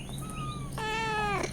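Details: Cat and kittens crying for milk: a thin, high, faint meow followed by a louder, fuller meow with rich harmonics that slowly falls in pitch, over a constant low hum.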